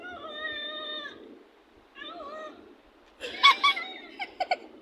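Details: Domestic cat during playful teasing: a drawn-out, tonal meow of about a second, a shorter meow after a pause, then harsher, louder, clipped yowling bursts near the end, indoors with a faint steady background hiss.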